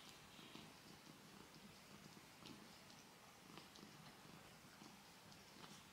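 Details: Domestic cat purring while cleaning its foot indoors; soft, low rumbling pulses repeating roughly every half second, with faint licking clicks over a quiet hiss.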